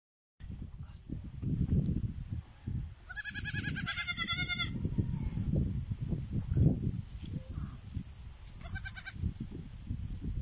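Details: Baby goat giving a long wavering, quavering bleat lasting about a second and a half, followed later by a second short bleat; heavy low rustling and handling noise fills the background.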